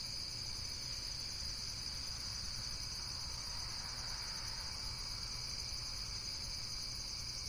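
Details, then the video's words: Insects in a relaxation recording give a steady, continuous high-pitched buzzing trill, with several layered bands droning without pause over the whole stretch and a faint low rumble beneath. "Various Nature & Insects Sounds"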